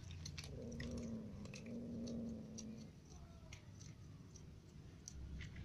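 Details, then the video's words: Ginger cat, annoyed because another cat keeps eating its food, gives a low, drawn-out moaning meow in two long steady notes across the first three seconds, then falls quiet while soft chewing and clicking sounds continue. "Ginger cat is annoyed because every food for him is eaten by another cat"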